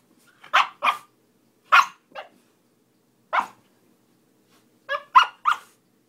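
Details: Miku, a little Siberian Husky, talking during play: short yowling barks and woo-like bursts in uneven clusters, some with wavering, warbling pitch, separated by brief silences.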